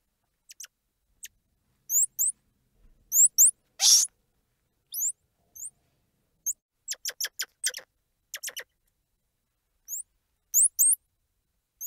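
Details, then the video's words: Squirrel monkey noises: high, thin chirps sweeping upward in rapid pairs and triplets, mixed with clicky ticks and one loud harsh squeal, scattered irregularly across a quiet background. "Squirrel Monkey Sound | Squirrel Monkey Squeals | Squirrel Monkey Noises | Squirrel Monkey Chirps"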